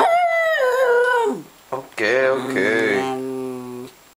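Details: Scruffy, a miniature schnauzer grumpy about an early morning call, lets out a drawn-out howling moan that falls away, then a deeper, rough sustained growl of nearly two seconds, in a small room after being asked where mama is.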